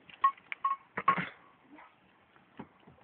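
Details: Short metallic clinks and tinkling chime-like taps sound in an irregular cluster, then fade to quiet, with no animal voice.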